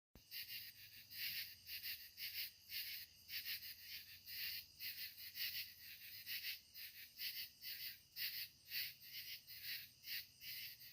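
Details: Katydids calling in the evening at sunset: a dense, high-pitched chorus of raspy, buzzy pulses repeating roughly once a second, with overlapping callers keeping a steady, throbbing rhythm and no other clear sounds.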